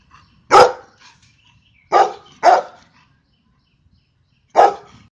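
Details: A golden retriever barks loudly four times, irregularly spaced: one bark, a pause, a quick pair, then one more after a longer gap, with quiet between them.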